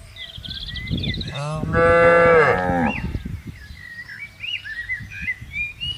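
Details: One long, steady moo from a tame cow grazing with its herd on open grassland, lasting over a second. Birds twitter and whistle before and after, over a light windy background.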